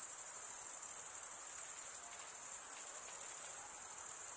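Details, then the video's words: Stridulating male crickets produce a constant high, metallic trill, a fine rapid pulse running through it at roughly three beats per second, an unbroken insect chorus filling the background. "Most relaxing cricket sound"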